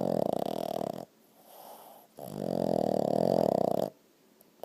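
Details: Dixon the dog, asleep and twitching, gives two loud raspy snores: a one-second rattle, then a quiet pause, then a longer rumbling snore of nearly two seconds, in a small quiet room.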